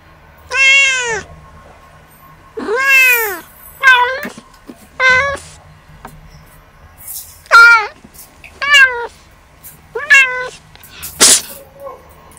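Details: Kittens at play meow repeatedly, with eight clear arched harmonic mews, some longer and some short and clipped, separated by quiet gaps, plus a brief sharp noise near the end.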